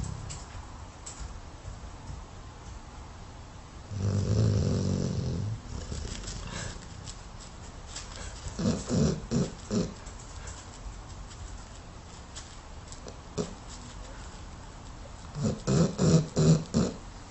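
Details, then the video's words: Sleeping dog snoring in low, rumbling bursts, a long drawn snore, then a run of three or four short throaty snorts, quiet pauses between, and another quick series of snores near the end. "Funny Snoring Dog Compilation 2018"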